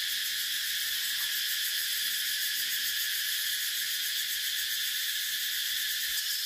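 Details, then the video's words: Cicadas drone without pause, a bright, sizzling, high-pitched buzz with fine rapid pulsation and steady volume, nearly free of other sounds. "Tiếng Ve Sầu kêu hay nhất"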